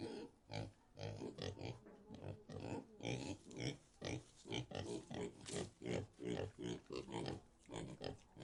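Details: A pig gives a steady run of short, deep grunts, roughly two each second.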